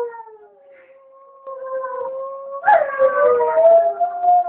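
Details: Dogs howling alone at home during their owner's brief trip to the shop; a faint, steady tonal howl that builds into a louder, wavering wail with overlapping voices near the end.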